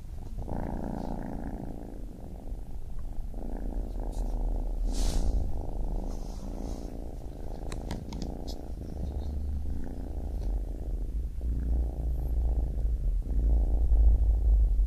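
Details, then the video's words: Baby kitten purring, a steady low rumbling throb with faint pulsing, continuous and slightly swelling and fading in loudness, with a few soft clicks and rustles above it. "Baby Kitten Purring"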